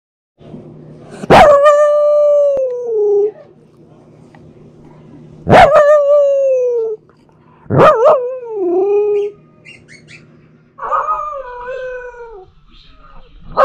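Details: A female Pomsky puppy, who howls all day about everything, gives drawn-out, wavering howls with a sharp yelp at the start of each, "talking" to her kitten sister.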